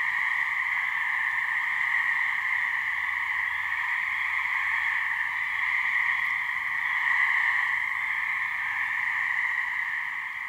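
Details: Gray treefrog (Hyla versicolor) mating calls from a couple of frogs in a swamp in New Hampshire, a species that calls from May to mid-summer. A steady, buzzy, unbroken trilling drone runs without pause through the whole stretch.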